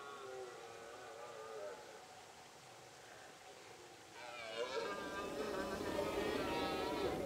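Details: Red deer stag bellowing during the late-September rut in the Pyrenees mountains, in remote summer pastures shared with cows and horses; a hoarse, wavering harmonic roar that swells louder in its second half, with a faint background hiss.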